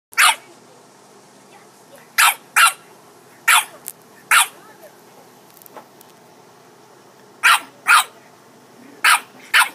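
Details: Dog barking in sharp, short bursts, mostly in quick pairs about half a second apart, with pauses of one to three seconds between groups; a quiet room otherwise.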